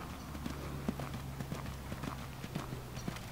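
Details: Large Welsh Pony gelding, born 2003, ridden at a hand gallop by a youth rider new to him; quick, uneven hoof thuds land about twice a second over a steady low hum, with faint rider instructions nearby.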